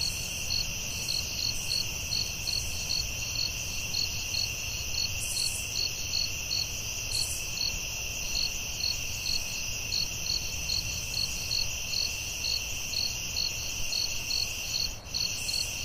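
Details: Nighttime forest crickets keep up a continuous high trill with rhythmic chirps repeating roughly twice per second, occasional higher buzzy bursts, and a faint low rumble underneath.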